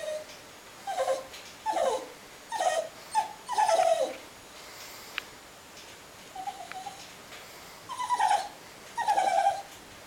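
A Cairn Terrier complains with a run of short, falling whines and grumbles.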